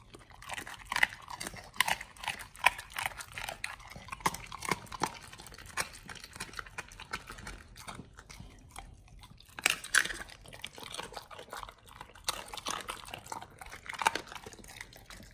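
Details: Pit Bulls eating a raw beef shank combo of cow liver, green tripe and duck wings: steady crackling mastication with irregular sharp crunches, a brief pause before bursts of gnawing resume, in a quiet indoor room.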